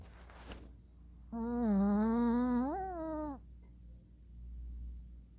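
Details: Sleeping puppy snoring indoors with its eyes open; one drawn-out, nasal, tonal snore of about two seconds that holds steady and then lifts briefly before fading, over a low steady room hum.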